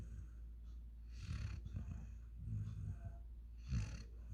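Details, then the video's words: Rocky, a five-month-old German Shepherd x African Boerboel puppy, snoring while asleep: low rumbling snores roughly every 1.2 seconds, each a short throaty burst with a breathy hiss, over a quiet steady background hum. "Rocky sleeping 😴 | Dog snoring"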